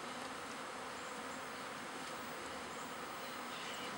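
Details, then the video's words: Mass of pet honey bees swarming in a backyard in spring, half the hive with a new queen moving to a new box; a thick, unbroken, broadband buzz of countless wings fills the whole recording. "Our pet bees move to a new home"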